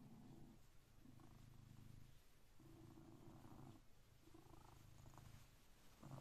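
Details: Purring blue British Shorthair cat at six in the morning, waking its owner; a low rumbling purr in regular breathing cycles, roughly one swell every 1.3 seconds, with a brief louder sound at the end.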